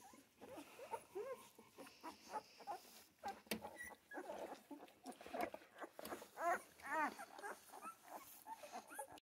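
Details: Central Asian Shepherd puppies in Michigan whimpering, with short wavering whines and a couple of rising-falling cries near the end, over shuffling, rustling and scattered clatter.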